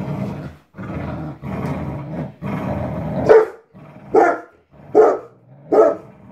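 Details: Labrador Retrievers, an adult of 10 years and a 17-week-old puppy, at tug-of-war play; long low growls give way to four sharp barks spaced under a second apart.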